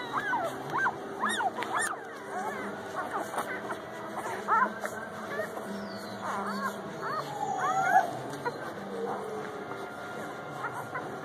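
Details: Central Asian Shepherd puppies from a mother's first litter, December 2017: high, wavering whines and short yips rise and fall in quick bursts, with people talking and music playing in the background.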